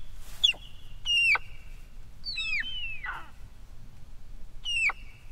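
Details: Dybowski's sika deer hinds (Cervus nippon mantchuricus) vocalizing: four sharp, high squealing calls, each dropping steeply at the end, spaced over about five seconds over a low rumbling background.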